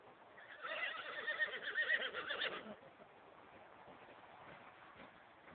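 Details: Horse whinnying, upset and calling to two other horses that have just left the stable yard; one quavering, pulsing whinny of about two seconds, then only faint background hiss.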